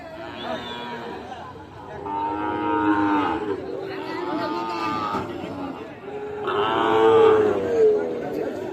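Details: At Tangail's Ambari market in January, Sahiwal bull calves offered for sale low in three long, rough bellows, each rising then fading. A crowd chatters throughout, and soft music plays behind.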